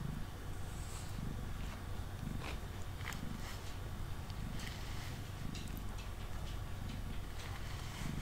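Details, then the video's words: Deep, even purr of a male domestic cat named Mango while brushed on a table indoors, pulsing in slow breaths under repeated soft brushing scratches. "Cat Purring & Brushing Sounds"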